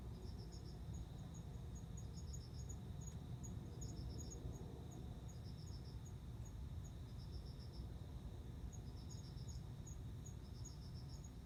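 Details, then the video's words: Male cricket serenading a female before mating, dated September 29; faint clusters of four to five pulses return every couple of seconds alongside a sharper, quicker ticking above, with a dull rumbling hum underneath. "コオロギの交尾 雄の鳴き声に惹かれて雌が応じる瞬間"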